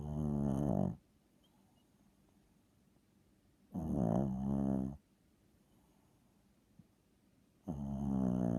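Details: Tiny seven-pound dog snoring as loud as a person, indoors: harsh, rattling, low snores of about one second, coming every three to four seconds, separated by near silence.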